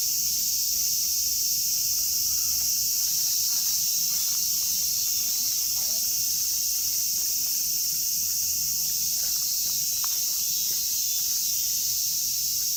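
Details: In Kitatama District, Tokyo, Japan, a chorus of cicadas (Platypleura kaempferi, Graptopsaltria nigrofuscata, Hyalessa maculaticollis) fills the air with a steady, high, hissing drone that never lets up.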